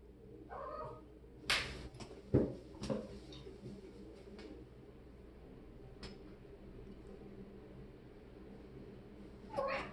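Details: A playful kitten in the shower meows briefly at the start and again at the end, amid sharp knocks, splashy thumps and a steady low hum.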